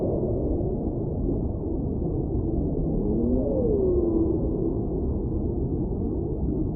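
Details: A single drawn-out whale moan midway through glides from a middling pitch down to a lower one and fades, set against dense, steady low-frequency ocean noise.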